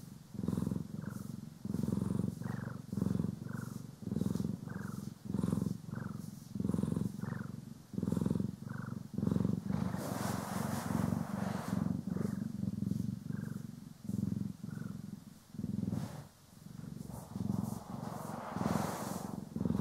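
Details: Cat (Poki or Kiwi) being groomed and brushed, captured in stereo, purring continuously in a deep rapid pulsing rumble, with louder bristly brushing sweeps breaking in around the middle and near the end.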